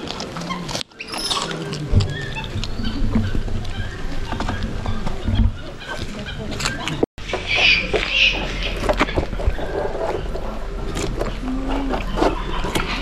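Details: Two capybara sisters at a zoo, born September 2019, chew during their evening meal at about 4 pm, a steady wet crunching with quick clicks and rustles.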